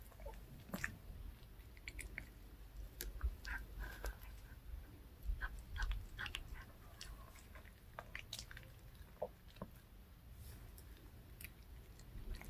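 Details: Pet dog eating a handmade fish-shaped bun treat indoors: crisp irregular crunches and wet bites, several per second, with steady low room hum underneath.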